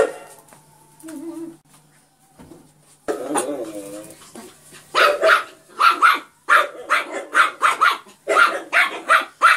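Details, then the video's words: Yorkshire Terrier named Poki: after a few seconds of soft sounds and a brief whine, high sharp barks burst out in a rapid, uneven string, about eleven yaps packed into the last five seconds. "Cute dog Yorkshire Terrier Poki barking. Why?"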